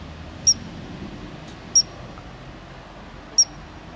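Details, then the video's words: A ground squirrel in Glacier National Park gives sharp, high chirps, each a brief whistled note spaced a second or more apart. "Glacier National Park - Ground Squirrel Chirping"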